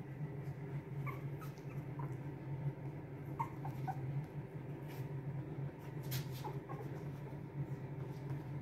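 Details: Boston Terrier puppies from a litter of two, born to Lily and Lil Red, indoors; scattered short high whimpers and yips over a steady low hum, with soft rustling and clicks between the calls.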